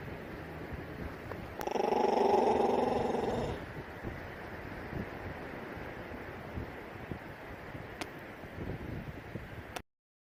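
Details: A young hooded seal, not yet full grown, at a marine mammal rescue, gives a single rough, rumbling growl lasting about two seconds; hooded seals growl quite a bit. Hooded seal.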